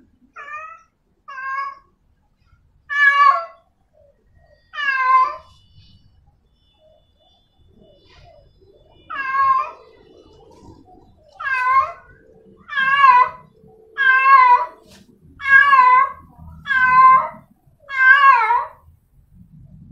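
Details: Female domestic cat in heat calling for a male: a string of about fourteen loud, wavering, nasal yowls. They come in uneven bursts, some close together and some with longer pauses, against a quiet background.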